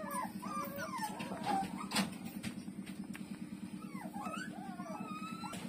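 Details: Street-dog puppy Lulu nursing from its mother, giving thin high whimpers and squeaks that rise and fall in short wavering slurs, scattered through the clip over a steady low pulsing hum.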